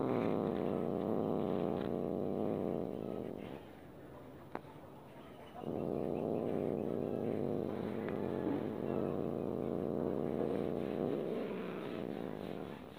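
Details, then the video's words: Domestic cat growling in annoyance while being petted: long, even, throaty growls separated by a short quiet gap with a single tap, the growling continuing steadily afterward. "Suara Kucing Marah Saat Tidak Suka Dibelai"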